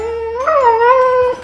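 A Siberian Husky gives a smooth, drawn-out howl that lifts briefly and then holds a steady tone.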